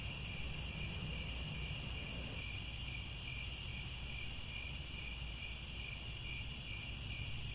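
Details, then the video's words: Steady insect chorus of crickets at sunset in Cambodian grassland at Angkor Wat, several layered continuous high trills holding constant, with a faint low rumble beneath. "The Sound of Crickets at Sunset"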